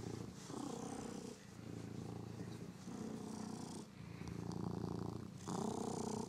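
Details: Pet cat playing indoors with its favourite toy mouse; soft, low rumbling purr in steady pulses, swelling and easing in cycles of about a second and a half, with faint hiss between.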